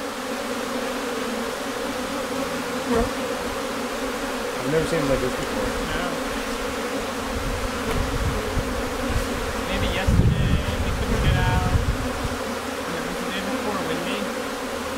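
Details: Honey bee colony at a hive a few days before swarming, in May, Newfoundland, bees flowing in and out; steady hum with bands near 250 and 500, low rumbles and brief bursts, faint speech now and then.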